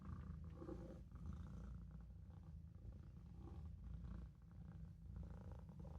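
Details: Maine Coon kitten Olof purring while napping in a sink: a steady, deep, rumbling purr with gentle pulsing, continuous for the whole stretch, with soft breathy texture over it and no other sounds.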